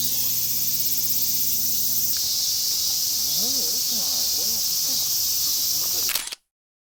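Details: Steady, high-pitched buzzing of many cicadas at a temple in Iwate or Miyagi, Japan, on a hot summer day in 2023, with a person talking in the middle; the drone cuts off abruptly near the end.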